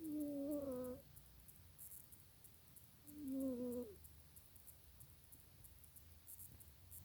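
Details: Janet the cat snoring indoors: two whistled, nasal tones about a second long, each sliding slightly downward with faint overtones, spaced roughly three seconds apart, over a quiet room hiss.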